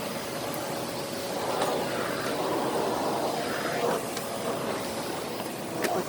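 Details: Steady rumble of passing vehicles on a busy street, with faint voices in the background and no animal calls.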